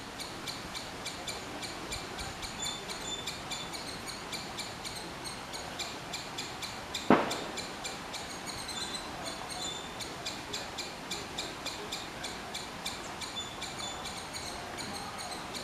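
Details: Rapid rhythmic chipping from a squirrel continues without pause, bright and ticking, several notes per second, broken midway by a single loud thump; steady hiss underneath.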